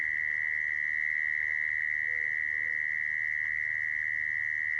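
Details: Mole cricket trill used as a trapping lure, a continuous buzzing tone at constant pitch and loudness without pause, over a quiet low rumble.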